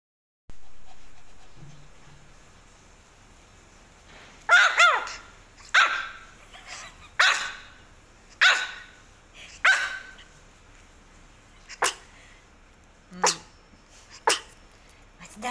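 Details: Pomeranian puppy barking: after a quiet start, sharp high yappy barks come about every one to one and a half seconds, some doubled, growing shorter and fainter toward the end.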